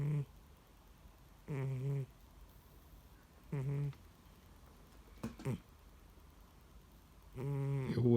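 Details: House cat sleeping deeply indoors and not waking when someone tries to rouse it. Low, buzzy snores come in short bursts about every two seconds, four in all, with quiet gaps between them.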